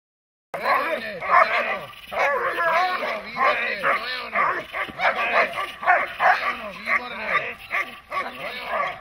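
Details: Dog in protection training, from footage of German Shepherds, Malinois and other dogs: rapid, harsh barks about three per second, overlapping with loud human shouting throughout.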